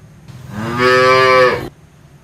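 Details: Brief bright cow moo lasting about a second and a half, climbing then steady, with strong upper harmonics and quiet surroundings.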